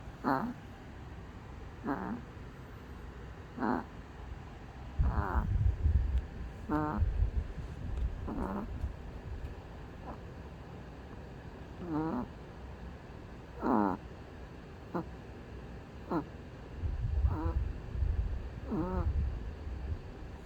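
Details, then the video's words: Sleeping dog snoring: short squeaky, wavering nasal whistles come roughly every one to two seconds over a low rumbling breath noise that swells in places. "his snoring"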